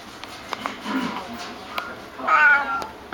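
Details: White neutered male cat about four years old, golden-eyed, at an animal shelter, snoozing, purring and kneading; a soft, short meow rises late in the recording after a woman speaks gently to him, with quiet room sounds around.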